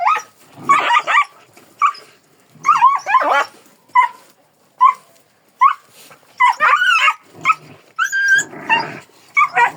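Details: A Kangal yelps and whines repeatedly, with short sharp yips alternating with longer wavering cries roughly every second, and a rougher burst near the end.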